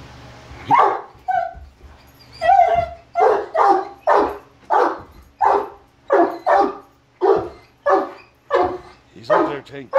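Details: Three male Great Danes barking at a Halloween mask: deep, loud barks in a steady series of about a dozen, each a short burst roughly every second, with a brief man's voice early on.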